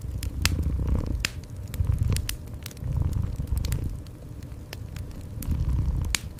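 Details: Indoor cat purring: a soft, low vibrating rumble that swells about once a second, with scattered sharp pops and crackling from a nearby fire.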